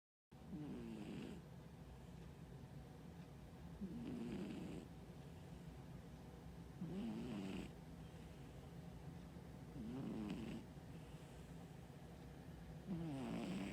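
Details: Brown tabby cat on a diet, sound asleep, snoring steadily: rasping, gurgling breaths repeated about every three seconds, five in all, over a low continuous room hum.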